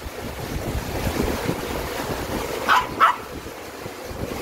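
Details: Dubu, a Maltese dog on a trip to Buryeong Valley in Uljin, South Korea, gives two quick barks about a third of a second apart, partly masked by loud rushing stream water.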